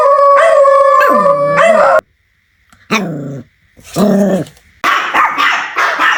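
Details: Puppies playing with toys on green grass outdoors: a long, high whining howl ending in a downward slur. After a silence come two short, deep barks, then a noisy, scrappy bout of yapping.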